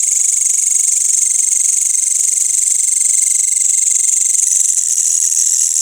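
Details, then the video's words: Crickets together with grasshoppers calling at night in a village, after the sunset prayer; a dense, unbroken, shrill high-pitched trill holds steady throughout, with a thinner steady lower tone beneath and no other sounds standing out. "Suara Jangkrik dan Belalang pada malam hari di desa"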